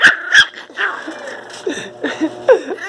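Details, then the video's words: Angry miniature pinscher puppies barking as they are held and separated: rapid shrill yips and barks, about seven in three seconds, some rising, with a woman murmuring to calm them. "filhotes de cachorro pinscher mini bravo latindo"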